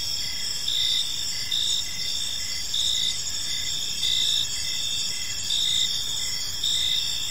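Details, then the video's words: Crickets in a peaceful park at evening, their high, ringing chirps forming a steady chorus; louder bursts swell about every second, over soft low background noise. "Cricket Sounds in a Peaceful Park"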